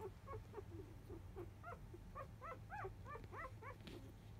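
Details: Four-day-old field-type Labrador Retriever puppies, born to the 2017 JFA grand champion biscuit, squeak during a nap. Thin, arching whimpers repeat rapidly and unevenly over a low indoor hum.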